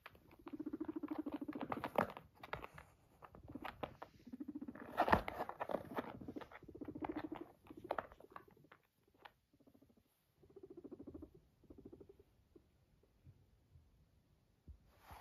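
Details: Pet guinea pig purring after coming to its owner indoors: low, buzzing, vibrating bursts about a second long, repeated with short gaps, fading to softer, shorter rumbles in the second half.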